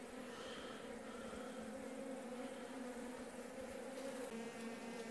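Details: Honey bees in a sparsely populated hive near the close of winter, with the queen present. Their buzzing forms a continuous droning hum with two steady tones, lightly wavering, with faint rustling over it.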